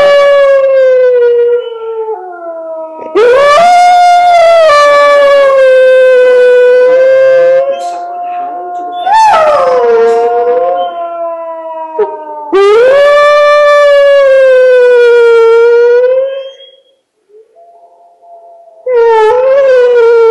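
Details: Hound dog howling in answer to wolves, giving long, loud, sustained howls several seconds each. The pitch slides up at the start, then wavers and drops, with short breaks between howls and one brief quiet gap before a last howl starts.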